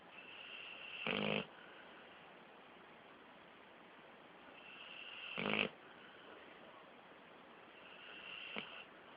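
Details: Sleeping 13-month-old Pit Bull snoring; three harsh, raspy snorts spaced several seconds apart, the last one shorter and softer, with quiet whistly breathing between them.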